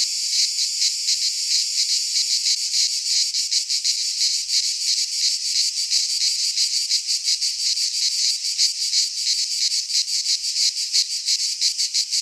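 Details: Midsummer song of cicadas in Greek pine woodland: high, hissing buzz made of quick rhythmic throbs, roughly three per second, growing slightly more pronounced toward the end.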